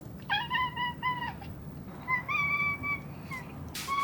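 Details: Domestic cat recorded indoors during the week of 16–22 October 2021: two short level meows near the start, then a longer drawn-out meow with a slight upward bend and a brief final mew, set against a low background hum.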